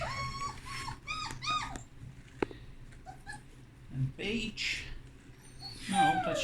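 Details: Puppies in a whelping box newly lined with fresh blankets; quick, high, curved whimpers open the recording, followed by a person's speech and a few further squeaks.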